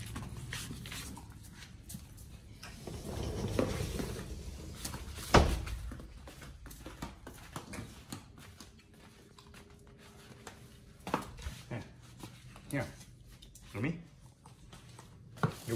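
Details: Raw meat being eaten by dogs Oli and Nomy, recorded November 2022: slurping and crunching gives way to scattered sharp snaps and bone-like cracks, with a faint steady tone in the middle.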